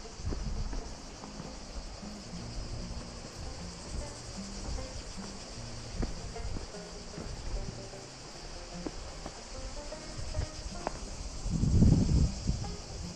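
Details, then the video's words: Continuous shrill droning of cicadas on a walk toward a little cascade in the Gorges du Gardon, Gard, in the south of France. Footsteps thud throughout, with a louder scuffing burst near the end. "je vous laisse écouter les cigales, je parle plus là, jusqu'à la cascade. Et"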